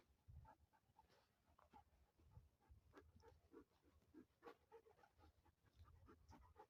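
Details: German Shepherd dog named Moti on a morning walk, breathing in quick, rhythmic panting bursts close to the recorder, with faint outdoor background noise.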